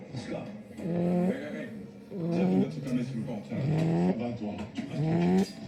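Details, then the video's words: Sleeping puppy snoring, each breath a droning, slightly rising tone with a buzzy, nasal edge, repeating about every 1.3 seconds in a steady rhythm. "Puppy snoring"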